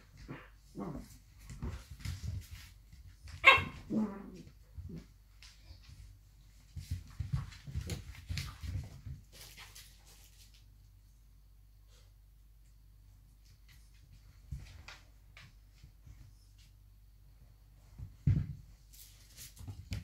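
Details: Two blue roan working cocker spaniels play fighting: short gruff growls and a sharp yelp-like burst near the start, with scuffling between, a quiet stretch midway, then a final gruff outburst.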